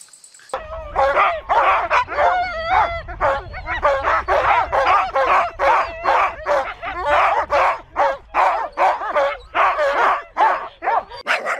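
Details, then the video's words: Dog barking in a fast, dense series of sharp, broadband barks, about two per second, with a brief whining tonal yelp early on and a low rumble underneath throughout. "Szczekanie psa"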